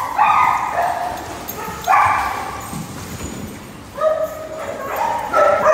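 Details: A group of household dogs, Border Collie, Australian Shepherd and Goldendoodle among the named breeds, gives four separate bursts of drawn-out tonal whines. The pitch shifts within each burst, and short lulls fall between them.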